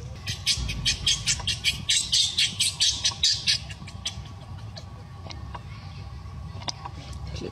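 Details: Luno, a baby monkey denied milk by its warning mother, gives a run of rasping, high squeals about twice a second for four seconds, then goes quiet apart from soft clicks against a steady low rumble.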